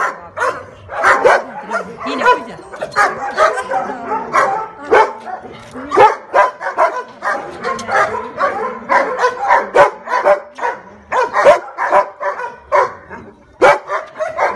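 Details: Young female Rottweiler barking almost nonstop, a rapid, uneven stream of loud, rough barks packed closely together for about fifteen seconds, with brief gaps and no other clear sounds.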